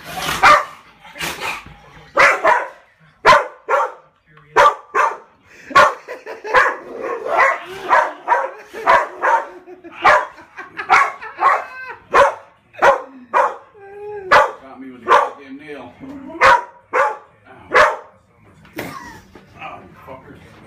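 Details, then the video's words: Pit Bull play fighting, giving short sharp barks and yips in a fast irregular series about once a second, with a few drawn-out whining, whimpering notes near the middle. "Pitbull playing fighting"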